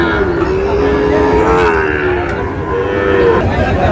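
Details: Sahiwal bull calves for sale at the Ambari cattle market, Manikganj, 14 August: a long, level moo held for over a second, then a shorter second moo, with busy human voices all around.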